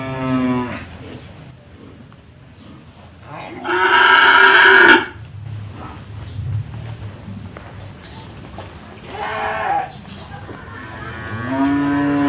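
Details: At the Jonggol livestock market, cattle offered for sale moo several times: a short tail-end low, a loud harsh bellow, a second shorter bellow, then a steady low moo, with market chatter and background noise between calls.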